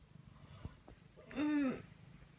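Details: One of two indoor Ragdoll cats, Ao and Aki, aged thirteen and ten months, comes to greet on waking in the morning. It gives a single drawn-out meow under half a second long that rises then falls, after faint soft taps in a quiet room.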